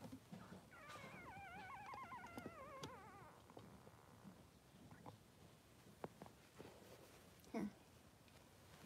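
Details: Newborn Blenheim Cavalier King Charles Spaniel pups, two boys three days old, in the whelping pen with their mother Pom-Pom. A sustained, quavering cry wobbles up and down for about two seconds, then gives way to shuffling, thumps and faint squeaks.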